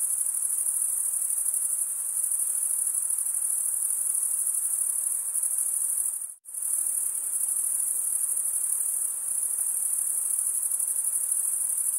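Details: A dense, continuous high-pitched chirping from male crickets rubbing their wings together, cut by one brief silence near the middle before the shrill trill resumes unchanged.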